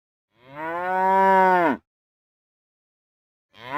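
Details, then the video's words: A single real cow gives a long, steady moo of about a second and a half that rises gently, holds, and drops sharply at the end, followed by silence and the start of another moo. "Real Cow Sounds | Cows Mooing"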